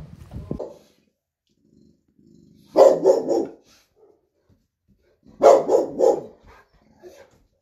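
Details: Presa Canario dog barking in two loud bursts, each a quick run of three or four deep, rough barks, the bursts about two and a half seconds apart, with near silence between them and a faint thud at the start.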